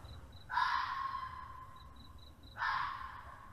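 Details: At night, at a remote canal mooring in fields near Crick, a red fox gives two harsh, hoarse screams about two seconds apart, its mating call.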